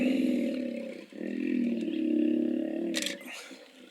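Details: Hippos making a harsh, vibrating, low bellow in two long pulsed bursts separated by a short dip, the second fading with a rough sputter, while a sharp click and faint chirps sit above.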